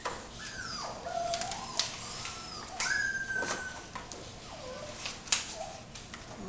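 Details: Puppies of Biscotti and Leo's litter, almost six weeks old, whimper in a series of descending whined tones, each sliding down and fading. Several overlap, with scattered clicks and rustling in between.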